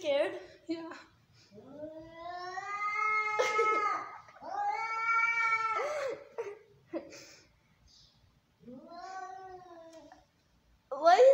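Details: Angry domestic cats fighting indoors: long, wavering yowls that slowly rise and fall, drawn out for two seconds each, with strained harmonic growls between them, short sharp outbursts and a sudden loud burst at the end.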